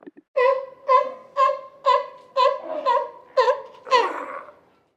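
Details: Sea lion. A sea lion barks over and over in a steady rhythm, each bark a harsh, nasal honk. The calls come about twice a second and grow a little rougher toward the end.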